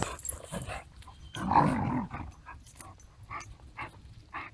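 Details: Woody, a playful male Basenji mix about one year old, neutered and living in foster care, gives a rough, low growling burst in the middle, with faint short clicks and taps around it.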